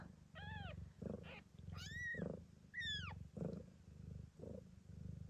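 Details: Mother Ragdoll Gambit, blue bicolour, keeps up a rumbling purr while giving birth at an Australian cattery; newborn kittens cut in with three sharp, descending mewing squeaks and softer grunts.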